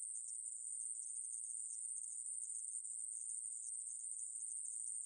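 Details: Conehead katydid buzzing nonstop, a thin metallic hiss at a single high pitch with slight flickers, taken from the 2020 National Institute of Biological Resources insect sound series.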